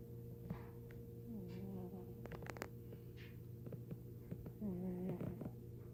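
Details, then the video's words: Pet cat Tiger asleep, giving two brief whiny squeals a few seconds apart amid soft rustling clicks and snuffly breathing, with a steady background hum. "My cat Tiger snoring or squealing?"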